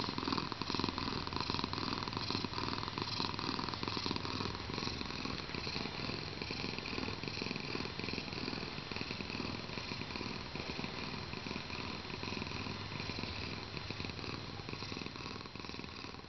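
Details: Pepsi, a 7.3 kg house cat in a good mood, keeps up a soft continuous purr, a low rhythmic rumble that is steady but less distinct, with a faint hum in the background.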